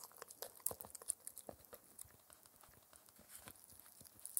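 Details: Four-month-old Shetland Sheepdog Spencer chewing his daily dental treat, a raw air-dried ear, inside a small room; distinct separate bites and crunches a fraction of a second apart, a few bright snapping crackles.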